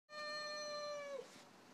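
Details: Female pet cat Orkah, indoors, reacting to a strange visiting cat she wants nothing to do with: one flat, tonal meow held about a second before dropping off, fairly quiet.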